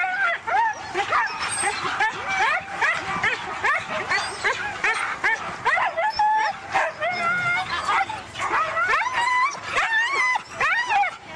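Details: Pack of Siberian huskies at a race in East Anglia, a dense chorus of high excited yips, whines and short rising howls overlapping continuously, with some human voices mixed in.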